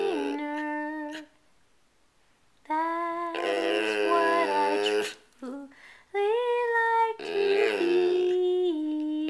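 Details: Pet dog howling along as the Oscar Mayer Wiener song is sung indoors: sustained wavering tonal howls in several long phrases with short pauses, mixed with human singing.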